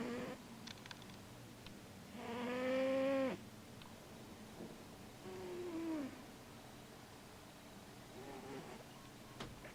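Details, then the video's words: Sleeping male Siamese cat, dreaming and moving, gives two nasal, whistled snoring sounds: a loud rising one lasting about a second, then a softer falling one, over a quiet room background. "Sleeping Cat Snores & Dreams"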